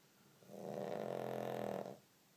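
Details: Awake but snoring his head off, Olly the pug makes a single long, gravelly snort lasting roughly one and a half seconds, harsh and rattling, with only faint room hiss around it.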